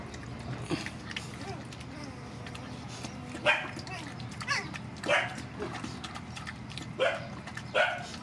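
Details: Mother dogs and puppies from a rescue group being fed: a run of sharp barks, some doubled, repeats every second or two over low constant hum and faint background voices.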